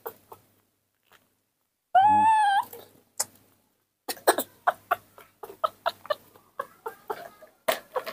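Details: A baby monkey, seeing its milk in the morning, gives a loud, whining, slightly rising cry as it begs to drink.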